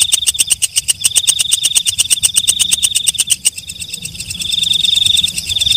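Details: Night katydid known as walang kecek, heard after dark: loud, evenly spaced clicking pulses for about three seconds, then a softer, continuous high buzzing trill with a piercing whine.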